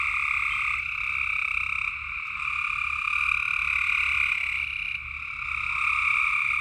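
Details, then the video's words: Tennessee frogs at night form a continuous shrill chorus, bright trilling tones holding steady with a softer lower band, brief lulls around the second and fifth seconds, a faint low hum underneath. "Tennessee frog sounds at night"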